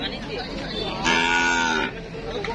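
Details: At a crowded cattle market with many buyers waiting, a single short, loud moo bursts out and holds steady for under a second, with background voices and faint music.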